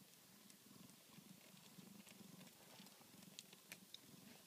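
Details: Short burst of rumbling purr from newborn Tonkinese kittens born to Minerva, pulsing in quick regular beats with light clicking and rustle over the top.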